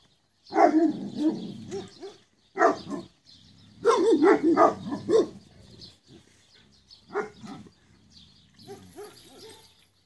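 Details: A pack of rustic Cane Corso dogs erupts in loud, rough, overlapping barking in clustered bursts with short pauses, then quieter barks and a thin high tone near the end.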